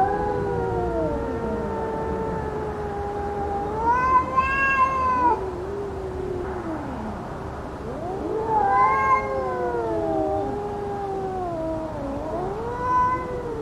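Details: Cats in a fight: slow, howling caterwauls that rise to strained, harsher peaks near four, nine and thirteen seconds, with wavering sweeping tones between outbursts and quieter moans at lower pitch.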